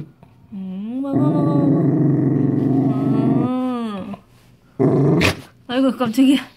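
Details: A Dachshund gives a long, tonal, rumbling growl that rises at the start and holds steady while being offered a homemade treat, described as growling scared.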